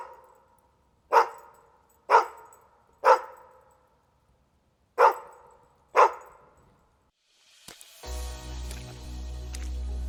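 A dog gives five sharp, clipped barks about a second apart, then music begins.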